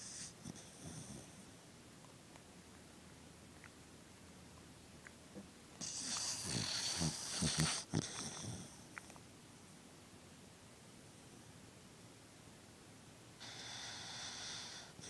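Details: Pet dog asleep indoors, snoring and twitching in his sleep; breathy wheezing snores come in bursts with raspy, noisy exhalations, loudest in the middle stretch, with quieter breathing between.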